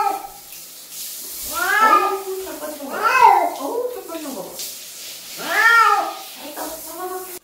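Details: Cat protesting during a bath, giving three strong wavering meows that swell and drop, spaced a second or two apart, with softer whimpering cries and some background noise between them.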